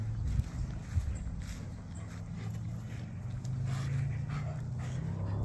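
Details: Komondor puppies, Tasha and Boris, at playtime: low, rumbling growl-like grumbles held steady for several seconds, broken by soft thumps and a couple of sharper knocks near the start.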